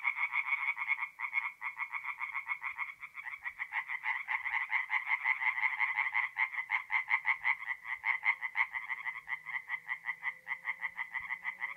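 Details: Several tree frogs call from a forest pond by night in mid-April in north-east Italy. Quick rasping pulses pour out, and the calling grows faster and more tightly rhythmic partway through. A faint low hum sits underneath.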